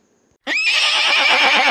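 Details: Horse neigh played for children in an English lesson: after a short silence, a sudden loud, shrill whinny begins and holds steady, bright and harsh, until the end.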